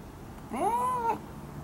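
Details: Siberian lynx crying at Hamura City Zoo: a single tonal, harmonic mew lasting about half a second that rises, holds a level pitch, then dips slightly at the end, over quiet background hiss.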